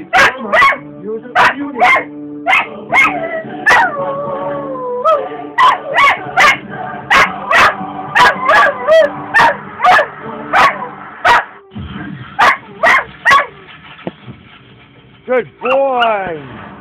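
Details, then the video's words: An old pet cocker spaniel, infatuated with the JG Wentworth TV commercial, sings along in the bedroom. Rapid yips and sharp barks come about twice a second, mixed with short rising and falling howled notes and a brief pause. "my dog siggin jg wentworth commercial in the bedrm"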